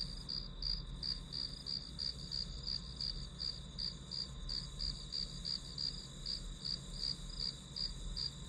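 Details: Grass insects calling during a one-hour study session recording: rapid pulsed chirps near a high steady band, about three per second, over a continuous insect drone and low background hum.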